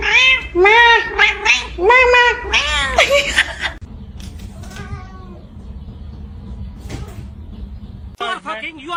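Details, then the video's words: Domestic cat, a kitten, meowing and crying: a run of five or six loud, arched, harmonic meows in quick succession, then fainter drawn-out mews over a low hum, with a person's voice speaking nearby. "kitten meowing crying"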